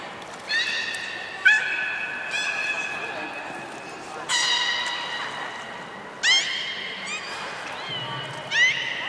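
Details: Beluga at Port of Nagoya Aquarium, 27 January 2019, during playtime after feeding: a series of bright harmonic whistles, some held steady and some sweeping upward, arriving in short bursts every second or two, over a low hum.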